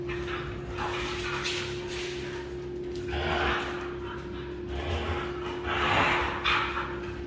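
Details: Red female Siberian Husky giving several loud, rough vocal bursts, roughly one every one to two seconds, over a steady humming tone in an indoor room.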